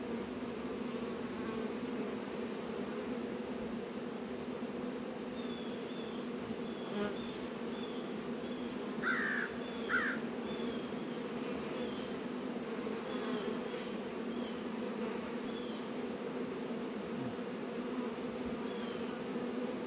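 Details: February apiary in northern Kentucky, 72 degrees, honey bees busy at Warre and Langstroth hives; an even background hum carries on while faint high bird chirps and two short louder calls break through midway.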